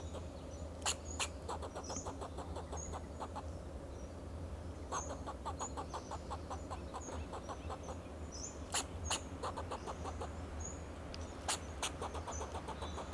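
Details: Fox squirrel giving alarm calls on a Monterey pine in Del Monte Forest, California, protecting itself and its territory: rapid trains of short dry chucks with several sharp louder clicks, thin high whistled notes above, and a steady low engine hum throughout.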